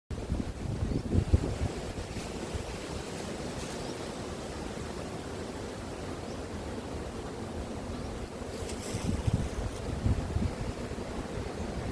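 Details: Steady low rumble of wind and surf-like noise buffeting the microphone, with a few brief clicks and no animal voice.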